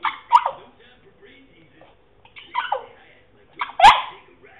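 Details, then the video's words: French Bulldog, a male, making funny noises while trying to bark: three short, strained, yowling sounds that drop in pitch, with a quieter grumble between them and a faint steady hum behind. "French Bulldog makes funny noises"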